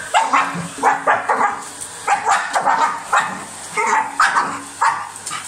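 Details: Dog snapping at a running vacuum cleaner gives rapid, gruff barks, roughly two a second, rough and mid-pitched, against the steady mechanical hum of the hoover.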